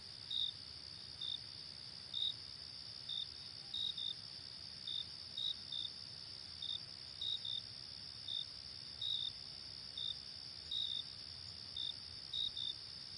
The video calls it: Song of the Crickets - Ambience Sounds of nature